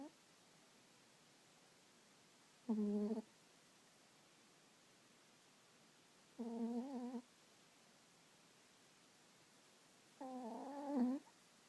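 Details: Dog asleep and snoring, giving three drawn-out nasal, harmonic groans about four seconds apart, each rising slightly in pitch, with near silence in between.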